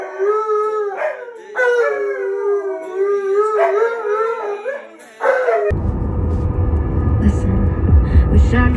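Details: An Alaskan Malamute howls along with its grieving owner's song in long, wavering phrases that swoop up and down, four or five drawn-out notes, before a burst of rough rumbling noise takes over.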